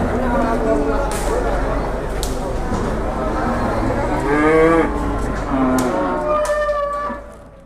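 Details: Large cattle newly brought to Jelok market, Boyolali, Indonesia, in the morning; repeated bellowing moos with rising and falling pitch sound among crowd voices and clatter, fading out at the end.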